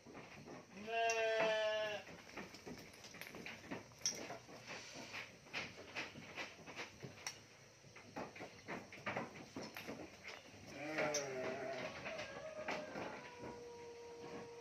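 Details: A large 4-year-old male Garut sheep, a former meat-class contest champion, gives wavering, nasal bleats, one early and another near the end.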